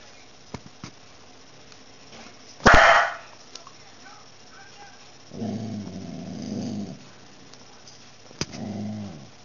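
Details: A dog named Nala, a low growl lasting about a second and a half and then a shorter second growl, with a loud bark-like burst earlier and faint clicks in a quiet room.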